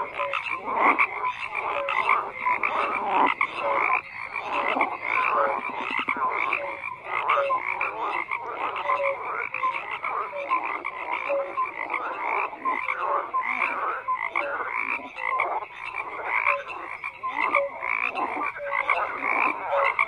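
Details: A steady chorus of many croaking frogs, rasping calls overlapping without pause, threaded with repeated brief whistle-like notes, with no wind, water or human sounds.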